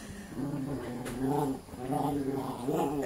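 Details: Jack Russell Terrier, one of two household dogs named Treisy and Azzuro, just after being bathed, gives drawn-out whiny, moaning vocalizations in four rising-and-falling bursts roughly every 0.7 seconds, steady and mid-pitched.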